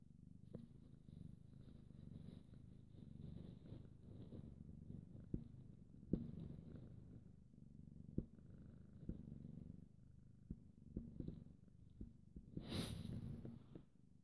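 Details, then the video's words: A pet cat purring: a continuous low, pulsing rumble throughout, steady and soft, with a few faint clicks and a brief rustle near the end. "Kitty #1 purring"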